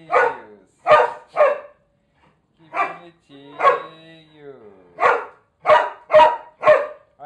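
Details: Excited barking from Irish Setter Bina and companion dog Alemão as they dance before their meal: rapid bursts of loud barks in clusters, a drawn-out whining yelp midway, and a woman's voice praising them.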